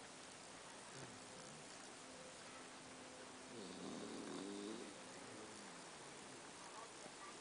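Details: Snoring puppy asleep: one drawn-out, rattling, gently pulsing snore in the middle, with soft breaths before and after under constant background hiss.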